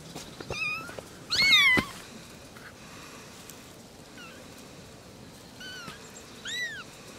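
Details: Three little kittens talking: a cluster of overlapping high meows early, one loud and briefly dense, then a pause before softer arched meows return, the last one clearer and rising then falling.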